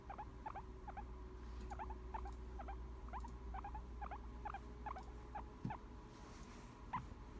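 A relaxed guinea pig repeats quick little squeaky notes, three or so each second, in an even chattering rhythm. The sound signals contentment, heard over a low steady room hum.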